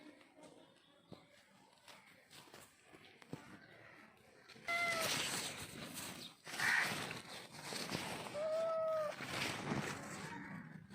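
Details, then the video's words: Cute baby kitten giving two short, clear meows that rise then fall, the second longer and more drawn out, several seconds apart, over loud, constant broadband rustling and scraping noise. "Cat Voice ll Cute Baby Kitten ll Cat Sound Effect"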